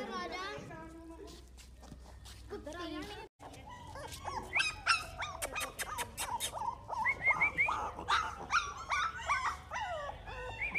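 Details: American Bully puppies of Dax bloodline, male and female, in Hoshiarpur, Punjab, India: high-pitched yips and whines in quick irregular bursts grow dense in the second half, with a man talking throughout and steady low hum beneath.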